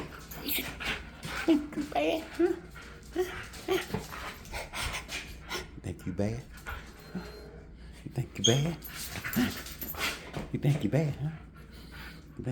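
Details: Husky named Koko playing tug of war indoors, giving rough growling and whining play vocalizations in bursts, while a person talks to the dog throughout and brief music plays.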